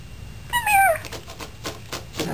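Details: An 8-week-old male Boston Terrier puppy falling down stairs on his first descent gives one high, drawn-out yelp that slides downward, followed by soft thumps.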